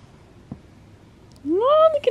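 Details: Butters, a happy male pet cat, gives one drawn-out meow that climbs steadily in pitch and then dips at the end. It breaks a quiet stretch with a low hum, and a short clipped sound follows.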